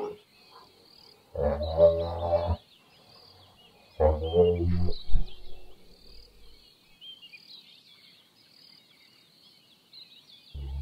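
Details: Giraffe humming: two deep, droning harmonic bursts of about a second each, separated by a pause of roughly two seconds, with a third beginning at the end, over faint high chirping in the background.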